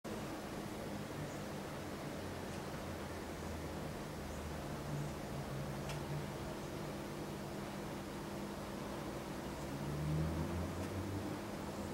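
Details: Low mechanical hum and soft hiss continue indoors, with occasional faint clicks and no animal sound.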